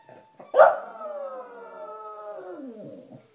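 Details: Pet Cocker Spaniel, a black female, joining in with wind instruments, notably clarinet. A loud attack opens into a sustained, rich-harmonic howl held level for about two seconds, then dipping and tailing off.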